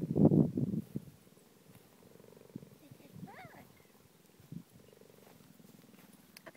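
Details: A pregnant cheetah purrs in a soft, rapid pulsing rumble after a loud opening burst; a brief rising whistle-like sound and faint human voices are also heard.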